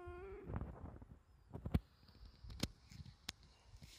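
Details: Latte, a brown-and-white younger brother cat kept as a pet, pleading with Dad for something in a sweet, coaxing voice. One short meow with a clear harmonic ladder opens the clip, then soft clicks and taps while a person speaks gently.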